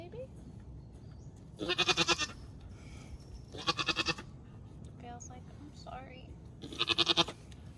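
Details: First-time Nigerian Dwarf dairy doe giving birth to twins in Northern California, crying out three times in strained, trembling bleats, each about half a second of rapid pulses, spaced a few seconds apart, with quiet human voices between.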